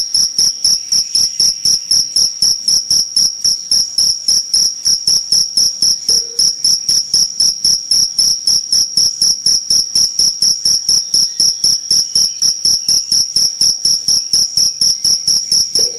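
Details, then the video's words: Cricket chirping nonstop, sharp high-pitched pulses repeated about four times a second in a very regular rhythm for the whole stretch, loud and close, with a clean background. "Jangkrik Gacor"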